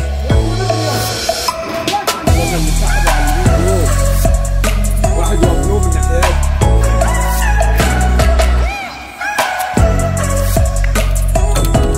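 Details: Loud hip hop track with heavy bass drum, a drum kit beat and sung vocals, with a short dip in volume just before the ninth second.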